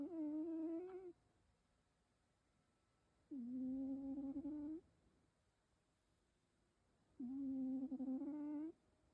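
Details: Sleeping rescued cat named Keikichi snoring; three steady tonal breaths about every three to four seconds, each lasting around a second and a half with a faint rising edge, separated by near silence.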